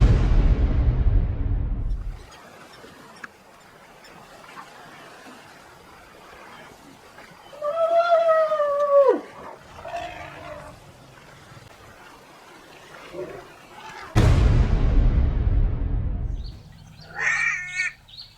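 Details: A struggling newborn African elephant in the wild: a drawn-out harmonic squeal that bends downward at its end, followed by a few fainter calls. Heavy bursts of broad rushing noise come at the start and later on, and there is a brief harmonic call near the end.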